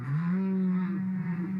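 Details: Whale song played back during a talk on marine animals: a single sustained low tonal moan, steady in pitch with faint upper harmonics, held for well over a second without a break.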